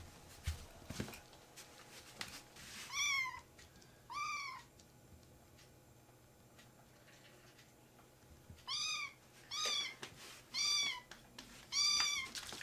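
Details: Rescued baby kittens in foster care, playfully jumping onto a man's leg, give high, thin meows that rise and then fall. Six calls come in two bursts, with a quiet indoor background between them.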